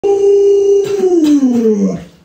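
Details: Alaskan Malamute named Luoluo howling indoors while its owner lies sick in bed; one long tonal howl holding steady, then sliding downward over about two seconds with rich harmonics, a few faint clicks in the room.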